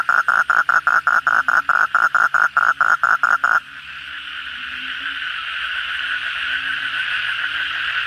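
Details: Asian common toads (kodok bangkong) calling at night after heavy rain. A fast, regular train of about fifteen pulsed, trilling notes fills the first three and a half seconds, then gives way to a steady, dense droning chorus with soft lower croaks.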